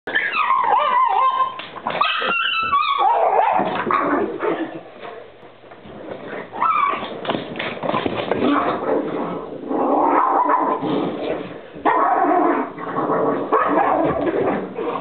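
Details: Two pugs playing tug of war; dense, rough grumbling growls and snorting run almost continuously in loud stretches, easing briefly around the middle before rising again.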